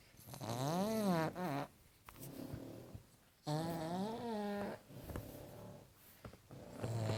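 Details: Sleeping pug snoring: long, loud, droning breaths with a whining, wavering tone that rises and falls, broken by brief quiet pauses, about one snore every three seconds.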